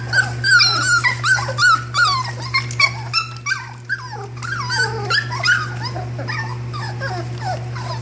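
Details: Litter of puppies, several crying at once in high squeaky whimpers and yelps that slide up and down, rapid and overlapping, with a steady low electrical hum beneath.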